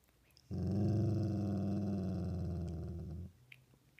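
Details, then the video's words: A single sustained dog growl lasting nearly three seconds, deep and evenly pulsing, ending abruptly into near silence with a couple of faint clicks. "Doesn't want Casey involved with his growling"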